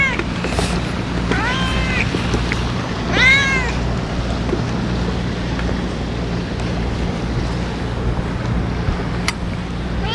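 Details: Stray ear-tipped cats (sakura neko) being fed on a strong-wind day; several harmonic arched meows around the first four seconds, then steady low wind rumble with faint clicks.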